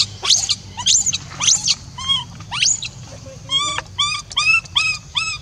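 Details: Rainbow, an orphaned monkey crying until her voice gives out to call Libby back, lets out a few high wailing screams. These give way to a rhythmic series of short, bright, whistled chirps.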